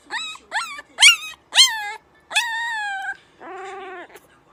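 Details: Puppy uttering quick, rising high yelps, then a longer falling whine, followed by a lower, steady nasal tone near the end.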